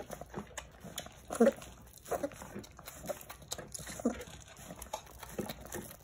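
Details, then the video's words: Several Jindo puppies fight over their food; two or three brief squeaky whimpers stand out amid steady smacking and scuffling of feeding. "진돗개 꼬물이들 치열한 밥먹기 쟁탈전"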